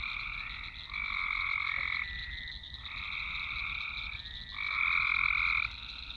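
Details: Dense swamp frog chorus on a Nokia Lumia 1020 phone, with long trilled croaks alternating between callers in one- to two-second blocks, getting louder near the end, over a steady high-pitched drone.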